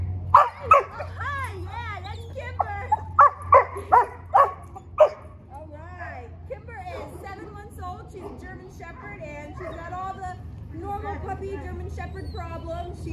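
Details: A female German Shepherd, distracted at the start of obedience training, gives a run of six sharp barks about every half second, then softer whines and yips under a trainer's speech and steady low hum.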